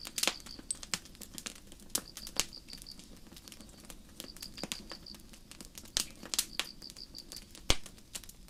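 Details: Crickets chirping on a starry night in a forest beside a campfire: short, high, even pulse trains of four to six notes repeat roughly every one to two seconds, broken by loud sharp crackles and pops from the burning fire.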